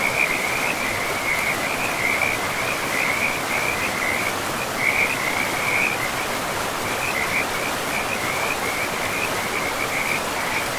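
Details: In a pristine forest with moss-covered ground, frogs by a river keep up a dense, nonstop chorus of high, rattling trills in quick succession, set against a constant loud hiss of running water.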